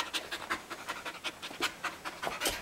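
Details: Quick, even panting from a Samoyed husky mix performing tricks: steady breathy puffs, roughly six per second, rising briefly in loudness toward the end.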